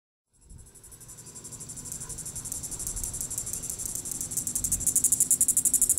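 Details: Diceroprocta vitripennis cicada calling in the evening at Sand Hills State Park, Reno County, Kansas, on July 20, 2014: a high, shrill buzz that starts abruptly and swells into rapid pulses, about four per second, growing louder and more distinct.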